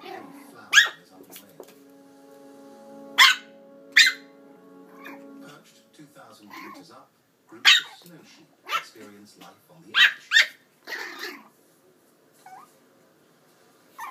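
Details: Chihuahua puppy, 8 weeks old, barking inside a house for the first time: scattered sharp, high yaps, some in quick pairs, over a steady tone and soft voices.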